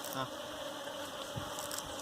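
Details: Honey bees at a wild hive being caught for domestication: a dense, steady hum fills the whole clip with low droning tones, broken by brief clicks and handling knocks.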